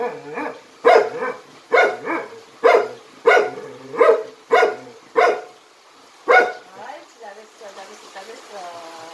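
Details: Jindo dog in Jindo County, Korea, doing a jump-rope trick. About eight evenly spaced, punchy barks come roughly every two-thirds of a second, then stop. A soft, higher whine trails off at the end.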